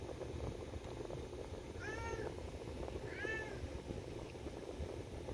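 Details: Harnessed house cat calling to be taken for a walk, giving two brief rising-and-falling meows about a second apart against constant fan noise blowing across the microphone.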